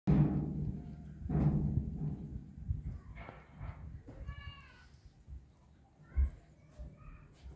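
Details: Kitten that cannot stand the sight of a pacifier, crying out in thin, high, wavering mews in the middle and again near the end, after heavy thumping knocks at the start; quiet room background.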